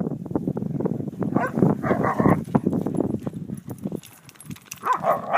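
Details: Dogs at play make rough, rumbling growls over constant scuffling. A noisy burst mid-way is followed by calmer shuffling and one short, rising yelp near the end.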